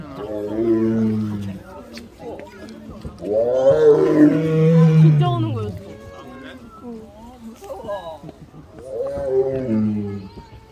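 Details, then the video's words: Zoo tiger in Seoul Grand Park, November 18, 2022, calling out loudly while exercising: a low moaning roar, then a longer swelling one, then a third after a pause, with gentle music in the background. "운동하다 울고 운동하다 또 크게 운다"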